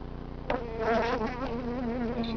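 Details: Honey bees from a hive cut out of a stucco wall in Alhambra on March 30th buzz in a dense, steady hum with wavering higher tones, growing louder after a sharp knock.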